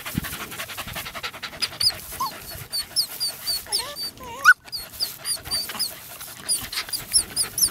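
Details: Parson Russell Terrier puppies, 10 weeks and 6 days old, romping together in a final play session; high, thin squeaky whines and yelps repeat through the clip, with a brief louder squeal near the middle.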